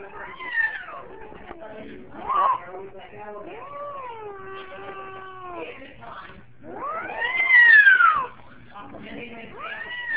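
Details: Pet cat that does not know how to meow and fears dogs, making weird noises: varied wavering, whining tones with bent, rising and falling harmonic slides, a loud sweeping yowl near the end, no ordinary meows.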